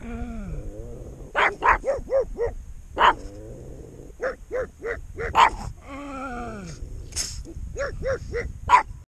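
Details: A pair of pugs reacting to their own shadows with quick runs of sharp, high barks, interspersed with drawn-out whining and growly sounds.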